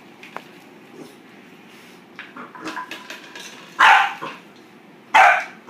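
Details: A Boxer puppy yaps at a plastic bottle, with soft scrabbling and clatter first, then two loud, bright barks about a second apart near the end.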